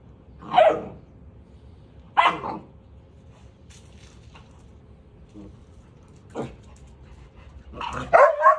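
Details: Deutsch Drahthaar puppy Gustl, on the training bench in his third week, lets out a few short, sharp barks spaced seconds apart, with a quick double bark at the end and quiet pauses between.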